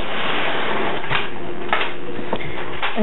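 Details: Muffled indoor handling noise and a few soft thumps are heard in a small room, with no animal call present.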